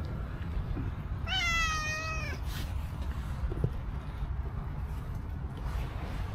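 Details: Homeless cow-patterned stray cat approaching a person with a sweet call: a single long meow near 1.5 seconds, gently falling in pitch, partly masked by heavy low rumble and a faint click afterward.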